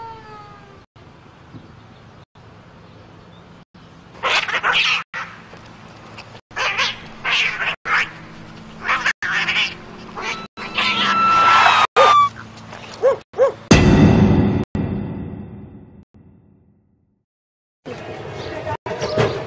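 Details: Cats in a funny animal compilation: repeated meows and drawn-out caterwauling cries with sliding harmonics, broken by abrupt edits, a loud broadband crash midway and a short silence before a final cry.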